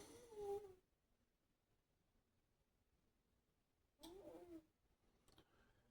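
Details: A male Scottish Fold cat snores, each breath a brief, slightly whistling rasp about four seconds apart.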